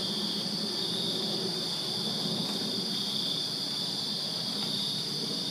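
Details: Crickets chirping through a summer night in a Virginia backyard, a steady high trilling band over a noticeable low rumbling murmur in the background.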